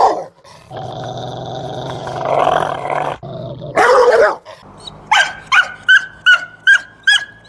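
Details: Dog growling in a long, low, rumbling stretch, then a burst of noisy barking, followed by a fast series of short, high, ringing yaps repeated about every third of a second.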